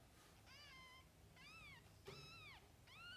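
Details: Mother cat with her kittens: four arched, harmonic meows, each around half a second long, spaced roughly a second apart over a steady low indoor hum.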